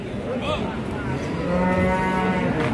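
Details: Cattle at Pasar Wage cattle market in Margorejo, Pati, Indonesia. A low, steady, level moo begins halfway through and holds to the end over market voices.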